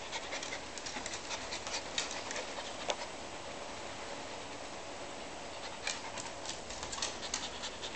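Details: Frightened dog during a storm, panting in quick breathy bursts that cluster near the start and again toward the end, over a constant broadband hiss.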